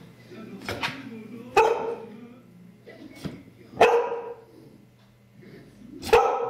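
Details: Six-month-old female Labrador Retriever puppy watching a 3D movie gives short, sharp barks, four in about seven seconds, spaced irregularly over a steady low hum and faint background voices.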